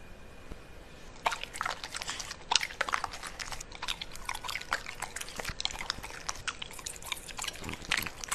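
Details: Pembroke Welsh Corgi at its food indoors: wet, clicking smacks and drip-like licking sounds come quickly and unevenly, sharp and bright, over a quiet faint hiss.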